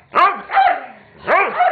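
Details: Pet dogs Weetzie, Junior and Maddy at play, bored Weetzie pestering Junior into a romp while Maddy protests; three sharp, harmonic barks in under two seconds, each with a quick rising then falling pitch, the middle one drawn out.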